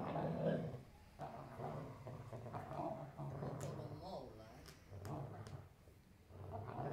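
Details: Weimaraner; play growls; play-fighting between dogs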